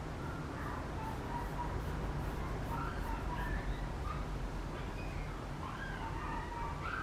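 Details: Papillon puppy, a male born 16 July, whimpering in quick, wavering high whines that come in bunches, growing busier toward the end, over a dull rumbling background.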